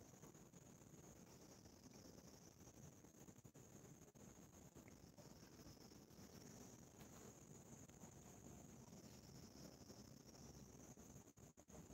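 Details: Constant wind buffeting the microphone under a thin high steady whine, with no animal voice.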